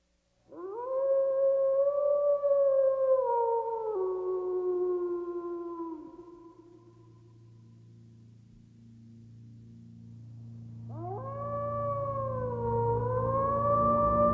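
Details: Wolf howling, which happens when lonely or to call companions so they know where it is: two long, smooth, tonal howls, the first steady then sliding lower, the second rising after a pause filled with low hum.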